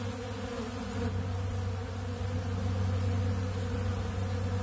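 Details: Honeybees feeding at a big blue pollen feeder on ultra bee pollen give a loud, deep drone, with a strong low steady hum swelling after the first second, possibly mixed with mechanical rumble.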